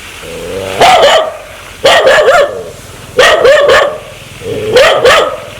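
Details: Dog sounding aggressive, wanting to bite: four loud bark clusters about once a second or so, each preceded by a short tonal growl that rises into harsh, wavering barks.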